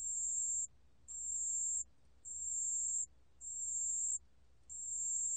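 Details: Pale bell cricket singing, recorded by Korea's National Institute of Biological Resources in 2020: clear, bell-like high-pitched tones, each held roughly 0.7 seconds with short gaps, five notes in quick steady succession over quiet low hum.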